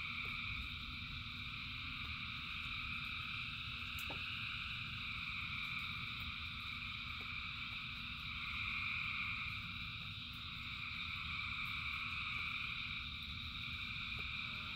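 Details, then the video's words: A huge chorus of frogs in the rain keeps up a dense, pulsing high trill that swells and eases, with low rain noise and occasional sharp drips or clicks. "Frogs in Rain 2 Hours of Frogs, Thousands of Frogs Singing"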